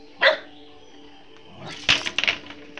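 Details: Pet dog at home, nicknamed 'rat', barking at the owner's wife, whom it does not recognise: a sharp single bark, then after a pause a burst of several quick barks, over low indoor hum.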